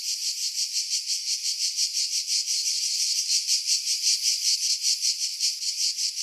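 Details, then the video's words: Cicadas singing in pine trees about 50 m above the sea at Pefkos Bay, Skiros Island, Greece, in July 2018; a dense, high, hissing buzz pulsing steadily about three times a second, with wind filtered out. "Cicada Sounds"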